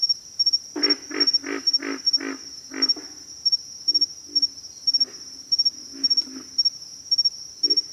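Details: A run of six deep, throaty pig frog grunts about a third of a second apart, then softer, scattered grunts trailing off, with a constant shrill insect drone and regular clicking pulses behind.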